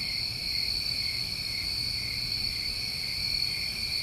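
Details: Summertime crickets in New England calling together at night: a continuous shrill, even-pitched trill that holds without pause, with soft low background noise.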